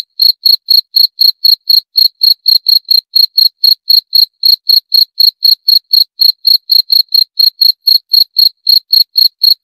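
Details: Steady cricket song of sharp, high chirps at a regular pace of about four a second, unbroken and clean against total quiet.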